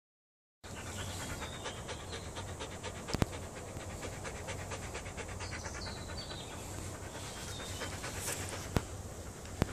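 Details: Belgian Malinois panting in fast, even breathy pulses that carry on steadily for about nine seconds, with a few sharp clicks scattered through.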